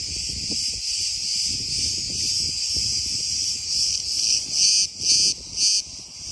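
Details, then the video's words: Loud cicadas in Crete, Greece: an intense continuous buzzing drone, pulsing in strength near the end with several brief dips and surges, over faint low wind noise. "Cicadas are so loud"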